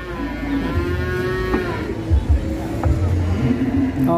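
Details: Large fat cow in Indonesia, agitated while being loaded onto a truck, gives a sustained tonal moo that fades after two seconds, with thumps, a low engine hum and faint music behind.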